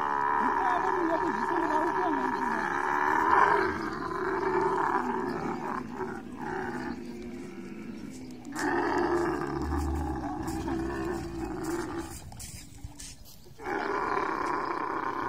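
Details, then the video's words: Mating camel producing a continuous harsh, gurgling roar for roughly eight seconds, then quieter broken rumbles with short gaps, before the loud bellowing resumes near the close. "Camel love full video|| mating sounds"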